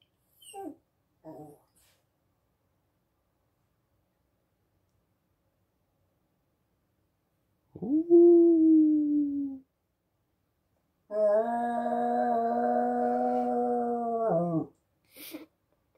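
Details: Chihuahua Dachshund mix (Chaweenie) dog howling indoors: two brief faint sounds early, then a long silence before a wavering howl of nearly two seconds, followed by a steadier, lower, longer howl of about three and a half seconds.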